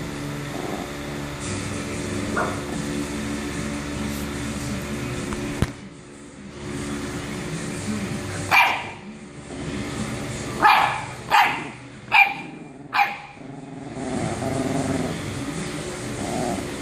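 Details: Bulldog pestering a chihuahua: a string of about five sharp, short barks in quick succession midway, over a steady background hum.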